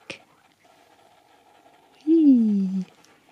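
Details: Nook, a male Husky indoors at Easter, talks to a dog-friendly chocolate Easter egg: one smooth, falling, moan-like vocal note lasting under a second. A sharp click comes before it, over a faint steady indoor hum.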